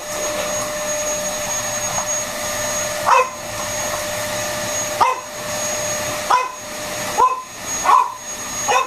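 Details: French Bulldog named Freddie playing with a vacuum cleaner at home, giving brief yappy barks, sparse at first then quicker toward the end, six in all, above a constant droning hoover.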